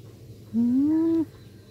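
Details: A black pet cat utters a single short meow that climbs smoothly in pitch over under a second, against a faint low hum.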